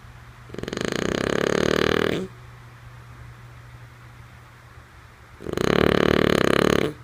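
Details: Lulu, a female French Bulldog, snoring while asleep indoors: two long raspy, buzzy snores about five seconds apart, each lasting under two seconds with a rapid fluttering texture, quiet steady hum between breaths.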